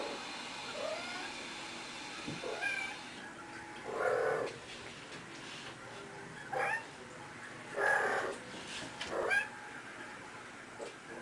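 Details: Playful female kitten rolling around while playing, giving short soft chirping meows and trills every couple of seconds over faint room noise.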